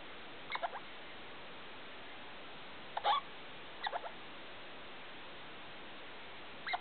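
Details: Pet degu named Felica calling at 2 o'clock at night indoors with the big light on; short clusters of rapid rising squeaks come in brief bursts separated by long silent gaps, against a faint steady hiss.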